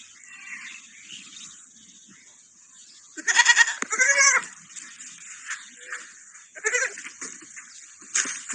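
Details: A baby sheep with a small dog. After a quiet stretch come a pair of loud, quavering bleats, then a shorter bleat later on, over a steady faint hiss.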